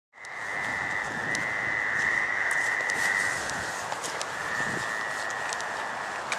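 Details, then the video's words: A Fowler's toad at the North Burial Ground in Providence, Rhode Island, in May–June 2013 gives a nasal, buzzy drone held at one steady pitch. "Toad and Frog calls"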